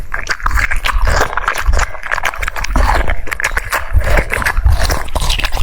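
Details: Crunchy cucumber chewing by a French Bulldog, rapid crisp bites mixed with lip smacks and soft scraping, continuous and up close.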